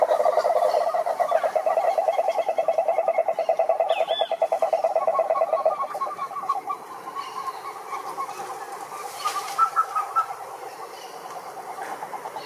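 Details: Toad's rapid pulsed trill rattles loudly for about six seconds, then softens and fades, while scattered higher chirps and faint background calls continue to the end.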